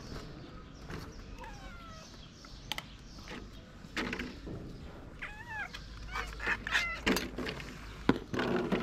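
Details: Abandoned stray cat in Morocco seeking shelter, giving several short meows with rising-then-falling pitch, spread through the recording amid rustling, knocks and outdoor background noise.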